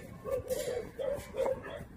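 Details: Jindo dog, praised by people as pretty, lets out three brief whiny whimpers, each a thin nasal arc, spaced about half a second apart over quiet background murmur.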